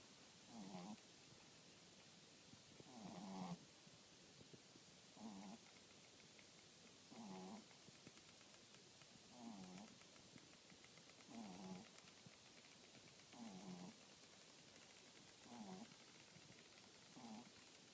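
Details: French Bulldog snoring softly: low, rumbling breaths with a faint nasal buzz, rising and falling in a steady rhythm about every two seconds, quiet against a hissing room background.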